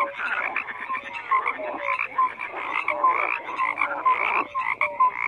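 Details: Massed frog croaks, many callers overlapping in rapid rattles with short clear tonal blips repeating every half second or so, forming an unbroken night-pond chorus.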